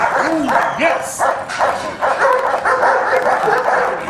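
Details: Barks from Scarface, an Alpine K9 German Shepherd being evaluated for personal protection work, come in quick harsh bursts over a short span, with a man's voice rising briefly at the start.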